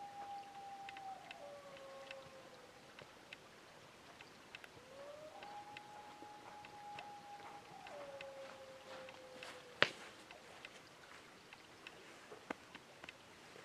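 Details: Wild dog howling on a ridge near camp at 2am on a cold July night, minus three degrees; long, steady, drawn-out howls hold one pitch, with a second lower tone overlapping and sliding down, over faint hiss and scattered clicks.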